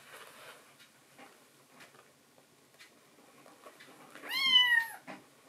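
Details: Night-time in a foster home: a rescued tuxedo kitten, fed milk after asking for a snack, gives a single clear, bending meow to its mama after quiet rustling and faint clicks.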